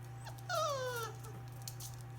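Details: British Labrador Retriever puppy, five weeks old, from a litter of six black puppies whelped January 17, 2017: a single whining whimper sliding downward over half a second, with harmonics, over a steady low electrical hum.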